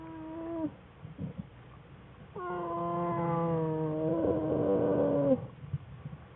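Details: American black bear cub crying loudly in a winter den, curled up with its mother and sibling on February 21, 2013, among research bears; a short wail, then a sustained, slightly falling, harmonic cry lasting about three seconds, with den rustling.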